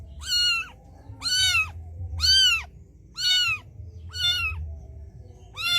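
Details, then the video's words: Mother cat on the street calling her white kitten to come to her: six loud, bright meows, roughly one each second, evenly arched, with faint low rumble beneath. "A Mother Cat Calls Her White Kitten Come to Her"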